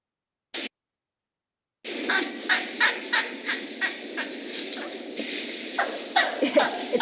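An elephant gives a rapid series of high, chirping squeaks that sound more like a squirrel or bird.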